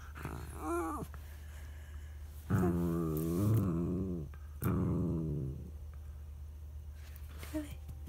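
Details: Charlie the dog throws a tantrum because his son is lying over the treat; two long, low, moaning groan-whines with a wavering pitch, a short squeak near the start, and a steady low hum underneath.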